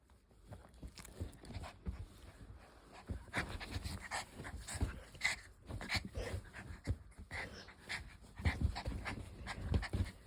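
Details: Playing puppy gives rapid breathy pants in uneven bursts over steady low rumbling and scuffling, the puffing growing denser and louder near the end.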